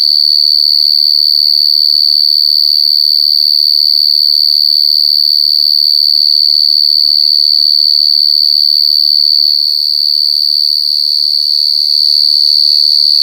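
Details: Gangsir, a large cricket, calling in nature: a continuous shrill, high-pitched trill, steady in pitch and finely pulsed, dipping slightly in loudness near the end, with nothing else clearly audible.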